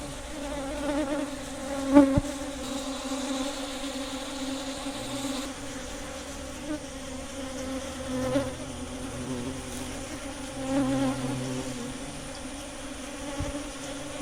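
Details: Giant honey bees swarming to feed on sugar syrup during the rainy season: steady layered droning buzz of many wings, with occasional louder close passes and brief knocks, the hum rising and falling in intensity.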